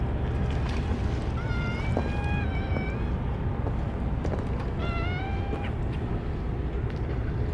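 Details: Stray cats being hand-fed Churu treats, with their usual Kalkan food and dishes forgotten; two plaintive meows a few seconds apart, the first long and wavering, the second shorter, over a constant low rumble.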